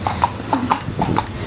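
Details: Horse ridden around the fruit market in Berastagi, Indonesia: a quick, steady clip-clop of hooves, about six beats in a second and a half, with faint voices behind.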